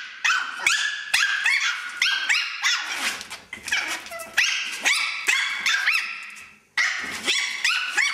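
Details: Two male Chihuahua puppies playing together in a playpen indoors, giving rapid high-pitched yaps and squeaky barks in quick bursts, some with rising whiny tones and a brief low growl, nearly continuous for several seconds.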